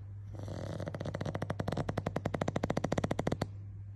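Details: Pug dozing in an office after lunch, giving a rattling, fluttering snore of rapid pulses, roughly ten a second, building in strength for about three seconds before stopping abruptly, over a steady low hum.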